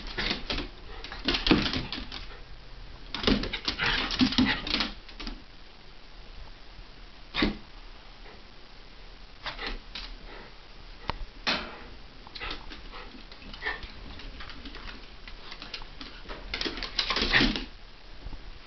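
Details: Two dogs, a Havanese and a Jack Russell, wrestling playfully in a small room in January 2010; clustered growls and yips early, scattered sharp clicks and scuffles through the middle, another growling burst near the end.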